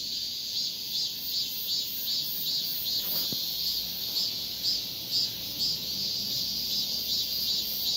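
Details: A male cicada calling for a female gives a continuous piercing buzz, throbbing in regular pulses roughly twice each second. A brief low thump sounds near the middle.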